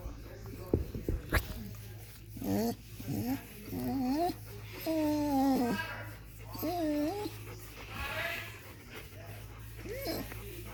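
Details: Seven-year-old female blue merle Australian Shepherd moaning with pleasure while getting a back scratch indoors; wavering, drawn-out vocal groans rise and dip in several bursts over about ten seconds, with soft rustling and a steady low hum underneath.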